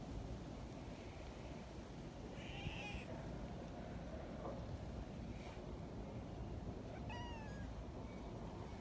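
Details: Young community cats near a milk-tea-coloured cat: a brief high mew comes early, then a clearer wavering kitten meow with bright harmonics near the end, against a continuous low rumbling background.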